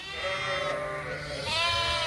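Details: Suffolk lambs on a farm, mixed into one big group in a barn after a gate was left open, bleating: wavering, harmonic-rich bleats, a long one at the start and another rising near the end, with faint low barn noise.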